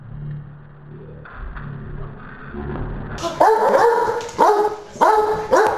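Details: Maggie Mae, a beagle puppy, at play with Tramp the hound: quiet low rumbling at first, then from about halfway four sharp, ringing barks roughly one second apart, each dropping in pitch.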